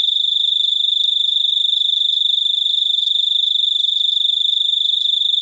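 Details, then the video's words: Unbroken shrill cricket trill throughout, made of rapid, evenly spaced pulses with faint clicks now and then in the background. "suara jangkrik super unik"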